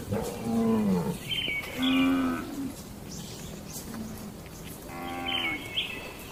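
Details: Tame cattle in a peaceful farm barn: a series of low, short moos, three or four in quick succession, while small birds chirp brightly between them.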